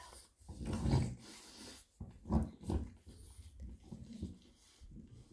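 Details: French Bulldog Bluebell during natural birth of a litter of 10 pups, some breech, indoors: low strained grunts and breathy whines in uneven bursts, one louder moan near the middle, soft room noise behind.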